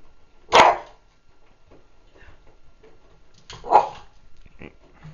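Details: Cairn Terrier at home trying to get his cushion out of the washing machine; two sharp single barks about three seconds apart, with faint rustling and small thumps between them.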